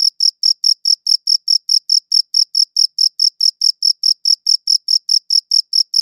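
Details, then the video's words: A cricket chirps in very regular rhythm, bright shrill pulses about five each second, uninterrupted against complete quiet. "Cricket Chirping Sounds"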